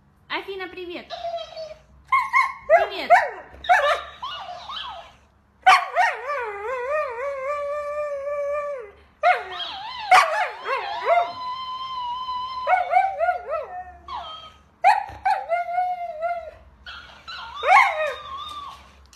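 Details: Pet Siberian Husky indoors giving long, wavering, whine-like howls, pitch sliding up and down in drawn-out phrases separated by short pauses, some brief yelps, with a person speaking softly and faint music in places.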